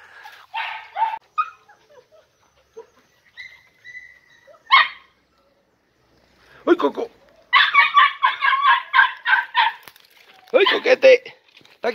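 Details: Podenco Andaluz puppies, three and a half months old, in a riding arena for the first time; scattered sharp barks and a man talking, then a run of rapid, shrill yapping barks near the end.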